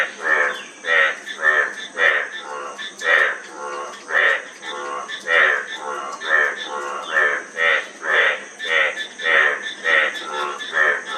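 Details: Overlapping frogs give grating, pulsed croaks in an uneven rhythm, roughly one a second, forming a busy chorus over a steady hiss.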